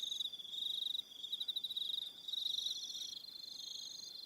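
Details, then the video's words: On Aroha Island in New Zealand, evening crickets give fast, rhythmic high-pitched pulsed trills, swelling and fading in short bursts, with a thin sustained upper tone from another caller. "1 Hour Relaxing Evening Sound of Crickets"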